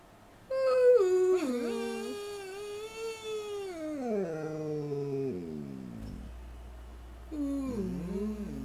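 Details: Purple-eared standard poodle service dog Jake howls to greet the day, opening with a bright, high note that slides steadily downward over several seconds into a low growl-like tone, then a short, wavering rising-falling cry.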